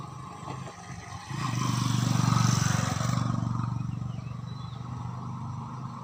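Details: Bumblebee at a hive in an ant hill, a low droning buzz swelling loudly as it passes close for about two seconds, then fading to a softer hum; faint bird chirps in the background.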